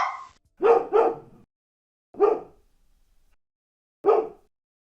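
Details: A dog barks in a compilation of varied breeds: a quick double bark, then single full barks about every two seconds, each short and resonant, with silence between.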